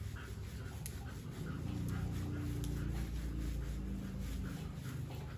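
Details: Siberian Husky named Happy at bath time in warm weather. The dog pants in fast, rough, breathy pulses, about three or four per second, over a loud low rumble of running water.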